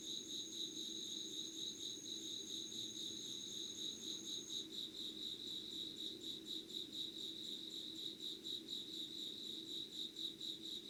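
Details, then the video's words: Insects calling before dawn at 05:00 on 25 August 2019 in Yugawara, Kanagawa, Japan, beside candle light: steady, rapidly pulsed high chirping, about two pulses a second, with a second thin continuous whine higher up fading out midway. "Sounds of insects with candle light.☆ろうそくの灯りと虫の声"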